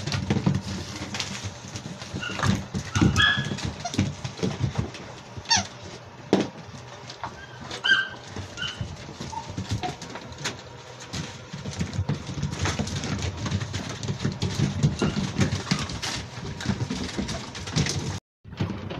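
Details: Labrador Retriever puppies, seven weeks old, at play indoors in a playroom, 27/01/2023: scattered short high-pitched squeaks in small clusters, mixed with constant scrabbling, bumping and clattering noises of the romping pups.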